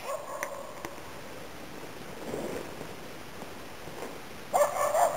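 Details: Nella, a Norrbottenspets, works in autumn 2010 in Inari, Finland, hunting waterfowl and game birds. A few faint sharp barks come early, then a louder burst of ringing barks closes the clip against a quiet outdoor background.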